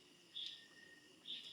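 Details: Crickets at night at D' Tree Farm Campsite in Bailen, Cavite, after highway traffic has died down: two short, high, shrill chirps about a second apart over a faint steady hiss in a quiet, cool setting.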